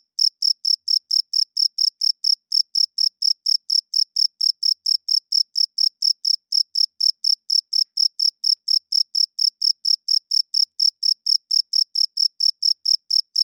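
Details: Crickets calling at night in a long unbroken train of sharp, high-pitched chirps, about two each second, very regular and even, with a quiet background.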